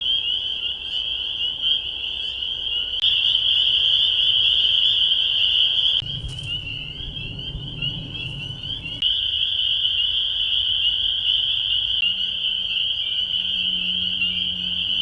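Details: A dense spring peeper (Pseudacris crucifer) chorus at the Bashakill, picked up by an acoustic monitor: high piping peeps blending into one continuous shrill ringing.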